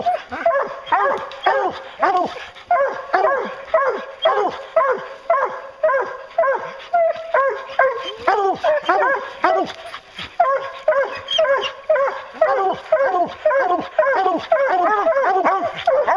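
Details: Pack of hounds baying during a bear hunt, a dense chorus of short bawling barks from several dogs repeated nearly twice a second, overlapping and steady throughout.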